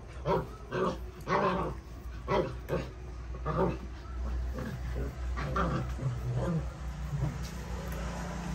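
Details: Puppies playing, giving short, harsh yelping barks in quick bursts, roughly nine in eight seconds, some closely paired, over a steady low rumble in the background.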